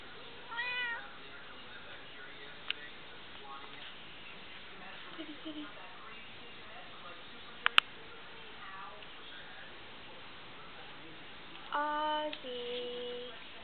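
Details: Domestic cat meowing: a short harmonic meow near the start, then quieter murmurs and faint voices, a sharp click midway, and a louder falling meow followed by a held tone near the end.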